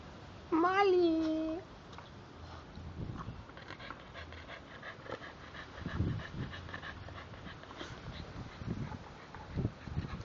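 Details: Two English bulldogs playing with each other and biting. A single high, strained whine lasting about a second rises slightly, then levels off and falls. Soft snuffling, low thumps and rustling follow.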